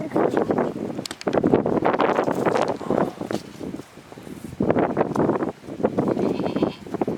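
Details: Kamori goat kids bleating, a run of loud, wavering, harmonic bleats in close bursts of one to two seconds with short gaps, the voices overlapping as several call together.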